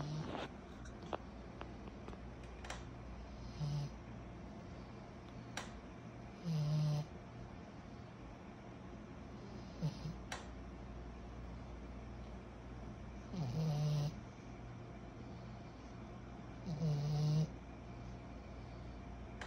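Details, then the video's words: Kyro, a sleeping 14-month-old pug puppy, snoring indoors: low, rough snores recur every few seconds, with some louder raspy breaths over a steady background hum. "Our SNORING 14 months old PUG PUPPY"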